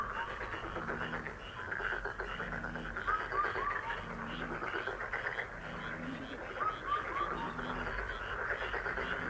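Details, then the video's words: Continuous frog chorus of fast, rough pulsed croaks. Low soft cooing repeats in the background, and brief whistled bird notes come in little runs of three twice. "행운 개구리소리 The sound of a lucky frog"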